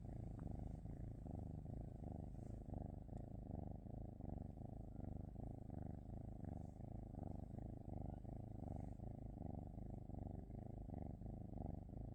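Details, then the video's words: A cat purrs continuously, a deep vibrating rumble that swells and eases in a slow, uneven rhythm, with faint soft background hiss. "cat 🐈‍⬛️ purring"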